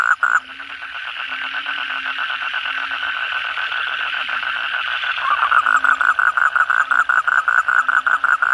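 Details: Kodok bangkong frogs calling in a loud night chorus after heavy rain, many animals; dense rapid pulsed croaking repeated nearly three times a second, a steady ringing band underneath, with a lower droning note recurring in the background.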